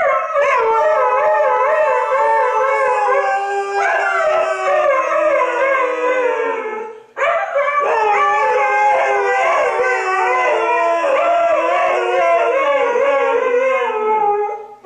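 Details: Siberian huskies Toga and Major howl in a duet, their usual substitute for barking: long warbling notes with a vibrato-like wobble, one brief gap midway, then the chorus swells again.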